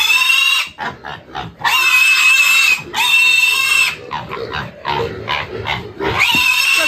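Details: Loud, piercing squeals of a six-month-old black pig held for weighing on a village farm, long drawn-out shrieks broken by short grunting squeaks, several bursts in succession, people laughing nearby.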